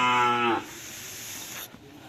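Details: Cattle at a Madurese karapan sapi bull-racing training session at the Asemanis field: one loud, deep, richly harmonic moo lasting about half a second, then a steady background hiss of outdoor crowd noise.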